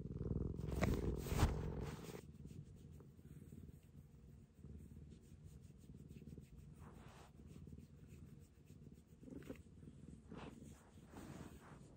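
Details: House cat Maroshiro, rescued in 2014 and regressing into kitten-like cuddliness, gives a quiet, continuous low purr after an opening burst of loud rustling, with faint scratches throughout.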